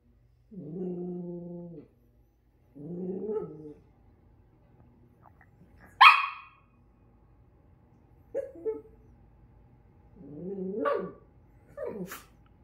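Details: A Miniature Schnauzer that dislikes a toy reindeer gives drawn-out grumbling growls, then short, sharp barks and yips.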